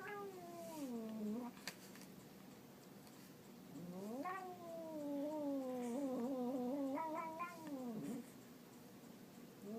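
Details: Pet cat producing a comical sound: sustained moaning yowl that dips, then swells into a long warbling howl with quick wobbles near the end, closing on a falling note; quiet indoor background.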